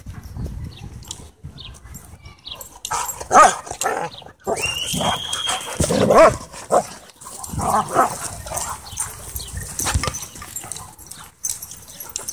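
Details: Several dogs playing together at a dog park: a few short, sharp barks and yelps burst out irregularly amid scuffling and rustling, with a brief rising whine in the middle and quieter stretches between outbursts.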